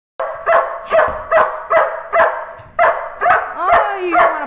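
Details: A working dog put back in his crate after a long play session, wanting out to play more with new tug toys; rapid, evenly spaced barks about twice a second, ending in a rising whine, with a man talking to him.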